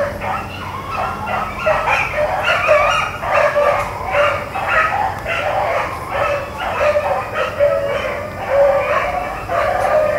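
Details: A pack of Black-and-tan and Bluetick hounds running rabbits, April 4, 2013: ten seconds of continuous, overlapping chop and bawl mouth, rapid yelping notes crowding together, with faint distant low noise beneath.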